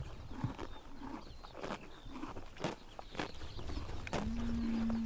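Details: Grass torn by horses grazing in morning sunshine, summer in Mongolia: scattered crunchy rips at a quick uneven pace, then a low steady drawn-out call rising slightly and holding to the end.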